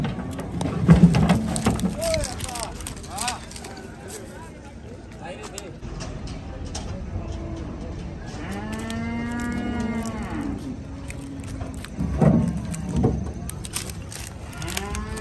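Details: At Gabtoli cattle market in Bangladesh, a large cow being unloaded lets out a long, rich moo lasting two seconds that swells and fades, between stretches of voices, clanks and distant vehicle noise.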